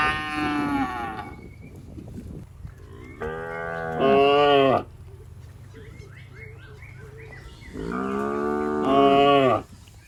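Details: Healthy, tame cattle grazing grass in a rice field; long, strongly harmonic lows open the recording, followed by a two-part moo at three to five seconds and a final drawn-out moo near eight to nine seconds.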